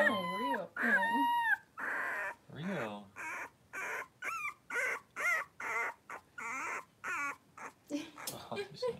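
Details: Five 3-week-old blenheim Cavalier King Charles Spaniel puppies, born at New Year, wrestle and play in an indoor puppy pen. The clip opens with high wavering whines, then dense runs of short yelping cries, roughly twenty quick bursts in nine seconds.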